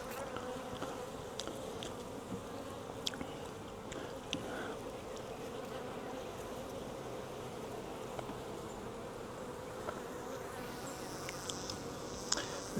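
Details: Captured wild honey bee swarm, taken from a tree branch and moved into a five-frame nuc box, droning as a thick, constant low hum for the whole stretch, broken by scattered clicks and knocks from handling.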